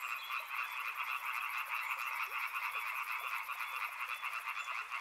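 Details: Riverside frogs calling together in a thick, continuous wall of rattling croaks, a steady buzzy drone with a high rapid pulsing trill over most of the stretch and no other clear sounds.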